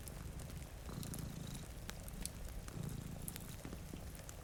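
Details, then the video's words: Steady low purring from one of two cats asleep before a rainy window, swelling with each breath about two seconds apart, over the sharp crackle of a fireplace and soft rain. "Purring Cat"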